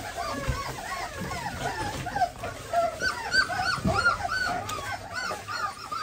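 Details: Several German Pointer puppies whimper while their nails are trimmed. Overlapping thin, wavering whines rise and fall continuously, with soft thumps and handling noise underneath.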